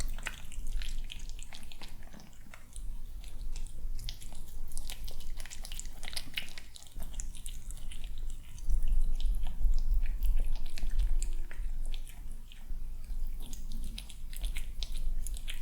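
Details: A calm, handsome kitten eats breakfast in the morning indoors. Long stretch of steady, rapid crunching and smacking clicks, fluctuating in loudness, over a low background hum.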